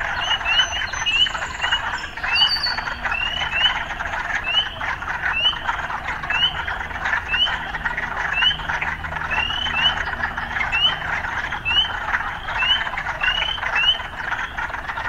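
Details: Urban frogs in full chorus, a steady pulsing croak overlaid by sharp rising chirps repeated about every half second throughout, with a couple of higher squeaky notes near the start.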